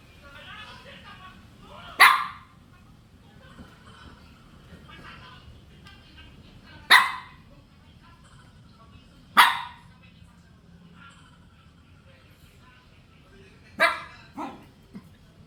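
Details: Shih Tzu puppies giving sharp, bright yaps, four separate bursts spaced several seconds apart with a quick double yap near the end, over a low background hum and faint murmuring voices.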